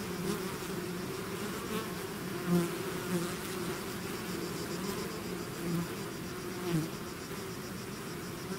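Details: A bee swarm emerging from the hive fills the air with a low, continuous drone; several close fly-bys stand out as short louder buzzes at about 2.5, 3, 5.8 and 6.8 seconds.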